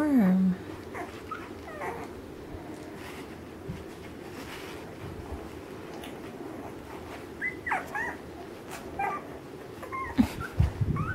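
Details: Alaskan Malamute puppies, ten days old, of Mystique's 2013 litter, searching for their mother: scattered short squeaky whimpers, a louder whine at the start, then brief high yelps, against a low background hum.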